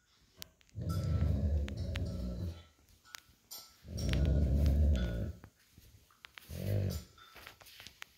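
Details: Lazy old golden retriever lying on a cool tile floor after a walk, growling during tug-of-war with an American Akita puppy over a plush toy; three low rumbling growls of about two seconds, one second and half a second, with pauses between.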